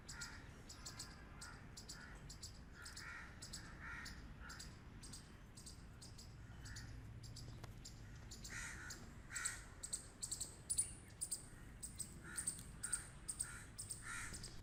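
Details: Squirrel barking: rapid series of harsh, raspy chucks repeated several times per second, faint and steady at first, then louder, sharper bursts with bright clicking edges toward the end, over low background rumble.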